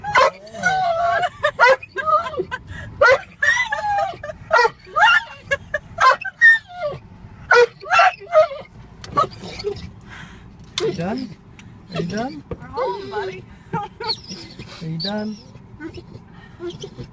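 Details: Dog riding in a car, excited on nearing home, whining and screeching uncontrollably: rapid bursts of high, yelping squeals and wavering whines, some short barks, over steady road rumble.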